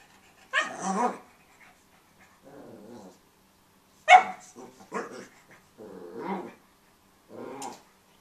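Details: Pug puppy playing with his bone, giving short growls and yappy barks in bursts separated by pauses, some rough and grumbling, others sharper.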